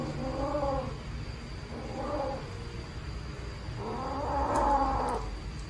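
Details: Abandoned baby black kitten found in a trash box on the street, meowing loudly: three drawn-out, wavering meows about a second apart, with a steady background hum.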